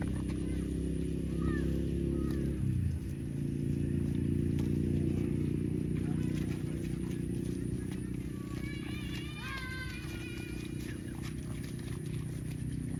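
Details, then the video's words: A cow gives a long, rich low moo for the first three seconds and then falls quiet. A steady low hum stays underneath, and small birds chirp briefly near the end. "Cow funny mooing sounds"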